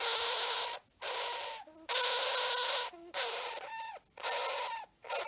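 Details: Screaming hamster Banjo gives five long, harsh, hissing shrieks of about a second each, separated by brief gasping pauses with small squeaky catches between them.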